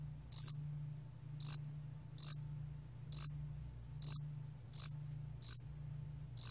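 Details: High, clipped chirps of a Yasan allak cricket (야산알락귀뚜라미), recorded in 2020 by the National Institute of Biological Resources, come in a loose series of eight with gaps under a second, above a soft steady hum.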